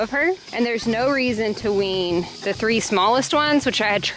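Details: Baby goats being weaned, screaming: wavering, harmonic bleats that rise and fall, several short cries in quick succession over about four seconds with faint background hiss.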